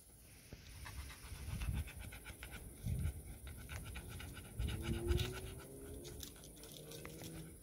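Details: Dog panting heavily in rhythmic, breathy low puffs, strongest near two, three and five seconds, recorded 20 to 22 June 2023 around Sofia's birthday in a home with a Bernese mountain dog and a labrador, Lily and Sofia; light rustling behind.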